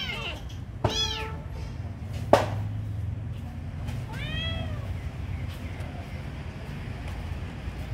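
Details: Kitten being given food, meowing: two short arched high-pitched mews about three seconds apart, with a sharp click between them over a steady low background hum.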